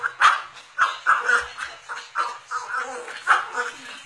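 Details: Cocker spaniel at home demanding an empty Yakult container, giving a rapid series of high, clipped yips and barks, roughly eight bursts with brief gaps, some doubled.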